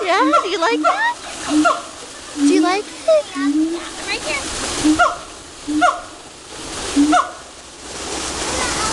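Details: At Woodland Park Zoo, monkeys sing in bursts: a cluster of swooping, rising and falling hoots at first, then spaced single falling notes about once a second, separated by loud splashing water.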